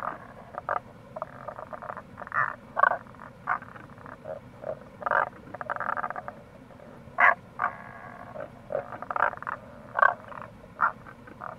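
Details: Rana tagoi, Tago's brown frog, calling in April near a gorge along the Kamo River, Itoshima, Fukuoka: rapid series of brief rasping croaks, some longer rattling bursts, several frogs together, with rushing stream water throughout.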